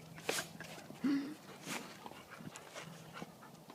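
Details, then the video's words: A female Saint Bernard, two years old, in a sneezing fit after coming home from boating. Two sharp, explosive bursts about one and a half seconds apart are followed by soft breathing and snuffling indoors. "Baby Puppy St Bernard Sneeze Attack!"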